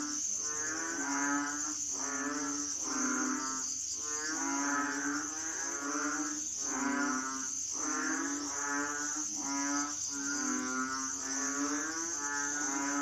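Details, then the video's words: Many Asian frogs crying together, deep droning harmonic croaks rising and falling in repeated bursts about once a second, with a continuous thin high drone behind them. "sound effects Asian frogs/សំឡេងហ៊ីងយំ"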